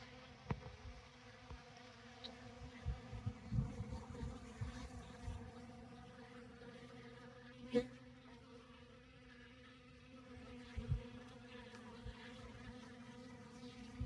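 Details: Many honey bees feeding in the open on a December day, on honey and comb set out in a tote. A continuous low hum with harmonic layers, interrupted by scattered knocks and taps.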